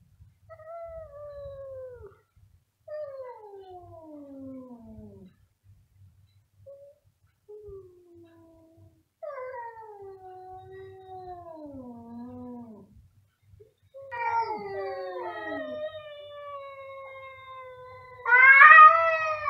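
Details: Loud meowing from a domestic cat, one of two cats calling together: a string of plaintive, downward-sliding cries with short pauses between them, ending in a louder, harsher, strained wail.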